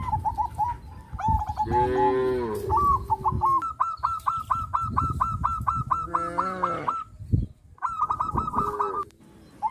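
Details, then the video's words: Cattle wandering village streets on a traditional farm. Early on comes a long, loud, wavering moo. After it, long rapid runs of higher, evenly repeated honking calls from other animals, with a fainter moo partway through. "Sound of Cows, Cows roam the village streets"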